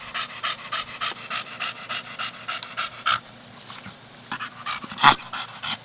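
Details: Four-year-old Staffie Brogan, playing with his big hard plastic ball, gives fast breathy pants that pause for about a second, then resume, ending near a sharp knock of the ball.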